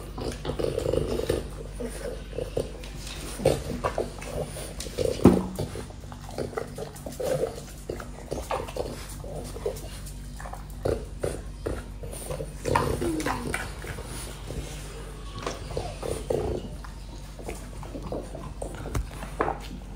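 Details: French Bulldog indoors chewing apple, crunchy bites arriving in bursts with short pauses, louder snaps around five and thirteen seconds, plus faint nasal whimpering noises between mouthfuls.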